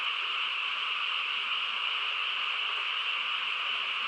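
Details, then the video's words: Massed frogs chorusing in the quiet countryside at night: a thick, constant wall of overlapping calls, steady in loudness across the whole stretch, without breaks or other noises. "개구리 합창 소리"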